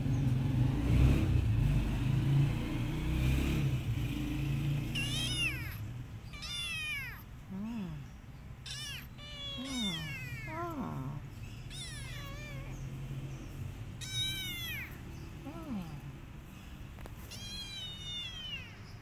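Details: Mother cat and her kittens after the kittens bit her while nursing and she struck them: a series of high, thin, downward-sliding meows, several in quick succession, with a few lower, shorter bent mews between them over a steady low rumble.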